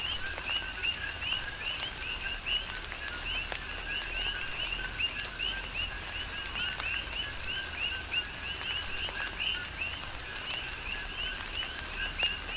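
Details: Coqui frogs in a tropical rain shower on the Big Island of Hawaii: a dense chorus of short two-part chirps, a lower note then a higher rising one, repeated overlapping from many frogs, with pattering raindrops.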